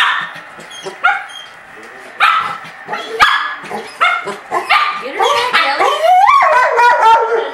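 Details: Dogs at play: the puppy Breezy pesters the big Golden Retriever Ellie May, who hides her head. Scattered high yips and short barks come first, then a rising, wavering whine near the end, with a person's voice in between.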